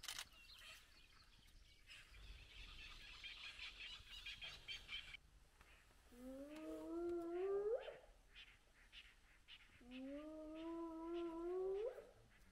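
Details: Spotted hyenas, a large clan back together at their den with very active cubs, at sunrise. Two drawn-out tonal calls that climb in pitch toward the end, about four seconds apart, follow an opening stretch of busy bird chatter.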